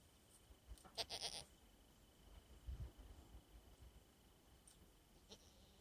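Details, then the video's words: A male pet goat reacting to his owner's return after a long absence; short bleating bursts near the one-second mark with broad noisy energy, followed by low rumbling handling sounds and faint clicks. "Reaction of Sam the Goat not seeing me in awhile"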